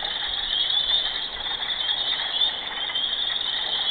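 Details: Loud chorus of mating frogs, calling day and night: a dense, continuous high-pitched trilling wall of sound with overlapping callers and no pauses.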